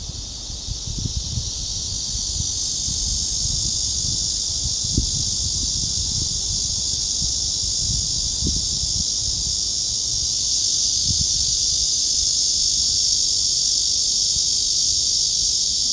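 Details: Cicadas at Gwanggyo Lake Park by Sindae Reservoir, Suwon, Korea, on 16 August 2022 in summer, along a walking trail: a dense, steady, high-pitched buzzing drone that holds without a break, over soft low thuds of footsteps.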